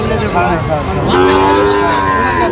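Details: Sahiwal bull calf at a cattle market in Comilla, Bangladesh: a drawn-out, level moo in the second half, amid loud crowd chatter, talking and vehicle noise.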